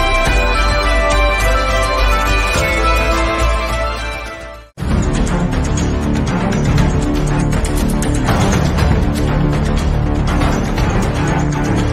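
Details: Loud instrumental theme music with dense, layered tones and a steady driving beat, cutting to near silence for a moment at about five seconds before resuming at full volume; no animal voice.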